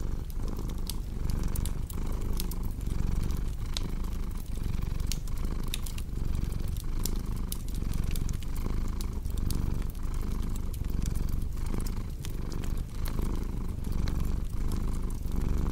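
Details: Relaxed cat purring throughout, a dense low vibrating drone with regular in-and-out breath cycles, accompanied by frequent crisp fire crackles and pops from a fireplace.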